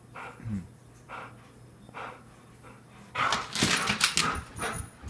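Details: Airedale Terrier barking indoors in a small room in the morning. Quiet human speech comes first, then a sudden run of loud, harsh, rapid barks over the last two seconds.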